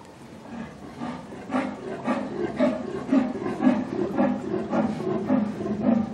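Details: Siberian tiger cub, one of three sisters born 23 April 2022 at Seoul Grand Park zoo, hissing in displeasure; rough, breathy bursts repeated roughly twice per second, growing louder over six seconds.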